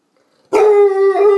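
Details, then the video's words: Bluetick Coonhound named Dixie, wanting to go out, lets out a single drawn-out howling call, a steady sustained tone with rich overtones that dips briefly near the end, after a moment of silence. "Conversation with A Coon Hound"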